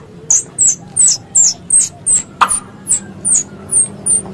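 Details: Hunting lure of squirrel calls, a three-in-one mix: a steady series of high, downward-slurred chirps, about one every third of a second, with a single sharp click midway over a faint low hum.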